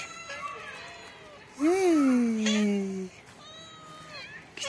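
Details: Hungry black kitten, hiding under trees and waiting to be fed, gives one loud drawn-out meow that rises briefly then slides down and holds low for over a second, with faint softer meows before and after.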